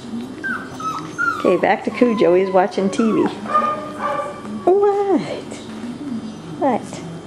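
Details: Four young male Cockapoo brothers, Kujo, Louie, Oliver and Bo, recorded 18 April 2014: a quick run of bending, whimpering yips, then one longer drawn-out whine near five seconds and a final short squeak, over human chatter.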